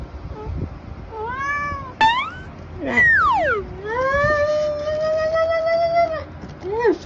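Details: Tabby cat eating treats utters a string of meows: short rising chirps, then a call that slides sharply down in pitch before holding a long level wail, ending with a brief final mew.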